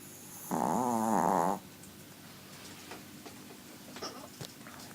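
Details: Small pet dog asleep and snoring loudly, one wavering, nasal, tonal snore of about a second, followed by soft faint rustles and quiet room noise.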